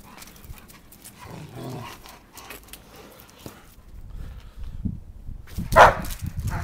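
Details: German Shepherd, one of a pair at play during a game of fetch. Near the end comes one loud, abrupt bark, preceded by a soft low murmur and scattered rustling.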